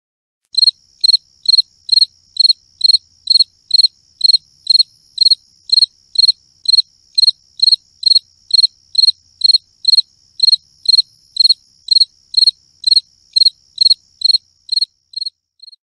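A cricket gives clear, high chirps in a steady series, about two each second.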